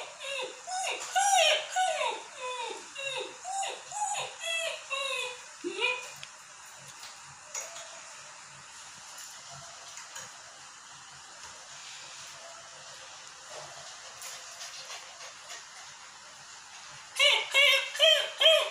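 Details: Berger Picard, a rare dog breed, said to be angry, gives a rapid series of harmonic, downward-bending whining yelps for about six seconds. A quiet stretch with faint ticks follows, then a final burst of the same yelps at the end.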